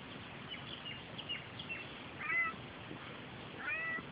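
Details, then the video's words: Australian grey tabby tomcat in an affectionate mood near a car, giving two soft, quiet meows a little over a second apart against a hissy background. "Cute Cat Being Sooky"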